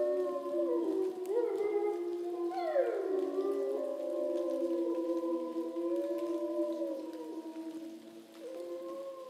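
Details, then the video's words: Several captive grey wolves howl together in near-darkness at dusk below a bridge in Šumava National Park, Czech Republic, one September evening; sustained, mournful tones glide and drop, layered over one another, and fade toward the end. "I was hoping that the Wolves would howl into the camera at dusk but this time they howled somewhere down below the bridge"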